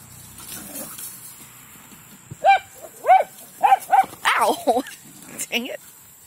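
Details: Dogs at play in a big yard, one of five named Taro, Mouse, Honey, Foster and D, giving a quick run of six or seven high, harmonic yipping barks in about three seconds, with a person talking before and between them.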